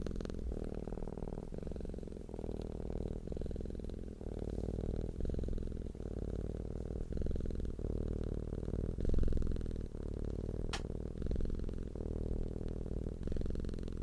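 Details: Purring cat, content and relaxed, giving a steady low humming rumble in rhythmic cycles of about one to one and a half seconds as it breathes in and out, with one sharp faint click partway through.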